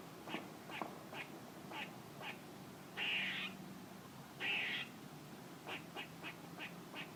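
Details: A squirrel making noises: a series of short, sharp clicking barks, roughly two per second, broken by two longer, harsh buzzy rasps about half a second each, then more quick barks, over faint low background hum.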